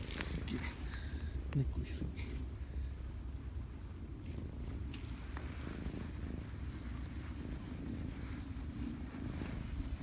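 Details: Cats met at Lake Biwa in Japan, one climbing onto a person, purring as a steady low rumble throughout, with a quiet voice speaking and faint outdoor noise.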